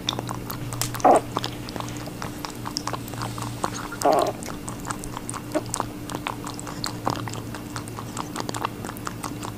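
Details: Watermelon being chewed by a rabbit: soft rapid crunches and nibbling clicks, with two louder juicy bites near the start and middle, all over a faint steady hum.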